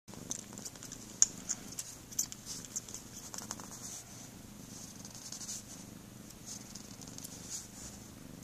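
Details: Pet cat purring indoors, a steady low rumble throbbing about once a second, with scattered sharp wet smacking clicks overhead and faint room noise.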